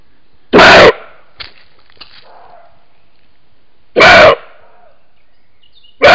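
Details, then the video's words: A male roe deer on a camera trap gives loud, hoarse territorial barks a few seconds apart, probably answering another male heard in the distance ahead of the mid-July to mid-August rut. "Scrocchio (abbaio) del Capriolo ripreso con una Fototrappola"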